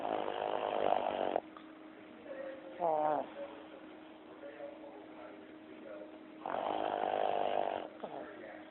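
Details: A Boston Terrier snoring in REM sleep with long, rough, rattling breaths, plus a brief high whimper between snores.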